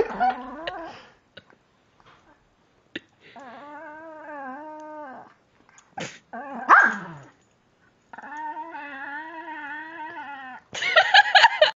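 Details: Playful 3-year-old Pekingese Lucy vocalizing indoors: short scattered yips and one sharp bark, then sustained wavering whine-moans rising and falling slightly in pitch, ending in a rough, harsh growly burst.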